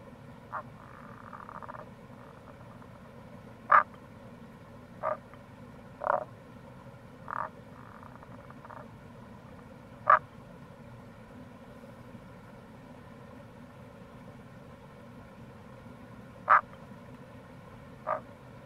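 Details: Scattered brief croaks of Tago's brown frogs, Rana tagoi, in April by a gorge on the Kamo River in Itoshima, Fukuoka, Japan; sharp single calls at irregular gaps with faint softer calls between, over steady stream sound.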